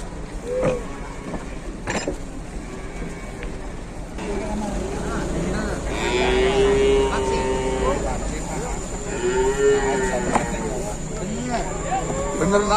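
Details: Cattle in Indonesia coming down from a truck, one animal giving drawn-out lowing moos, two long calls in the second half, with engine rumble, clanking and voices of people around.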